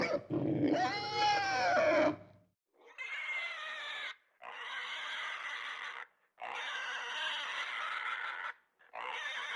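A pig gives a wavering, tonal squeal, then a series of harsh, noisy squeals about two seconds each.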